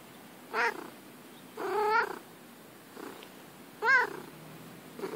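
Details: Female cat playing in the grass, making three clear meows about a second long, wavering and slightly rising, spaced one to two seconds apart with softer short mews between and quiet background.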